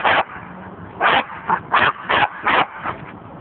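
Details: A male Corgi squares off against his water bowl, giving a series of short, harsh barks about two or three per second over a low background hum.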